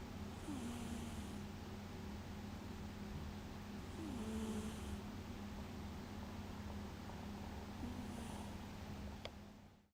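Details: A cat snores while asleep, each breath a faint hiss joined by a short low buzzing rattle, repeating about every four seconds against a constant low hum, with a brief click near the end.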